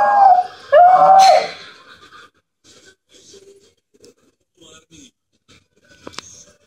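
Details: Jack Russell Terrier indoors, annoyed by a home phone ringing; two short rising whining howls in the first second and a half, then quiet with faint small noises and a brief click near the end.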